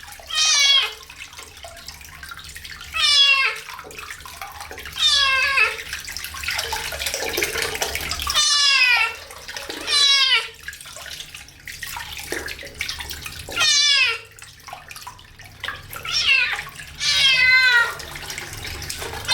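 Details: Kitten meowing through its first bath: about seven loud, strained meows, each falling in pitch, spaced two to three seconds apart over steady splashing water.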